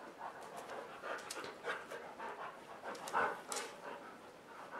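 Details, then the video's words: Dogs panting while playing indoors on a dog bed on a rainy day, waiting for the rain to stop; quick, soft, breathy huffs repeat steadily with light rustling throughout. "Dogs Playing inside on a Rainy Day"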